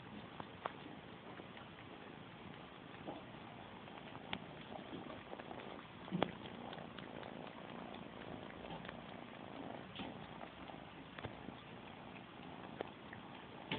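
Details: Kitten purring while nursing on a bunny toy indoors: a low, steady rumbling purr running throughout, with faint soft clicks and rustles, no other voices.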